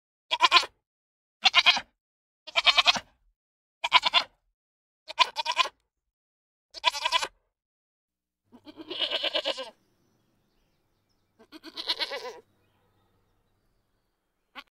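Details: Goat bleating in a quiet setting: six short, wavering bleats about a second apart, then two longer, drawn-out bleats with a pause between them, each rich in harmonics and otherwise clean.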